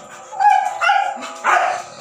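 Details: Siberian Husky puppy during its first meal gives three loud, yowling, harmonic-rich barks, each about half a second long, in quick succession.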